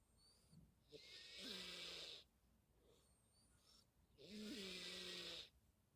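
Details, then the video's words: Leo, a kitten, snores while asleep after eating: two long, breathy snores about a second each, roughly three seconds apart, carrying a faint whistling tone, with quiet breathing between them. "사료먹고 코 골면서 자는 레오"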